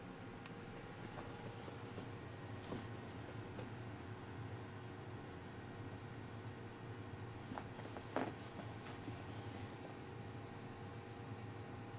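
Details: Quiet indoor room tone with a low electrical hum, scattered faint clicks and one brief knock near eight seconds.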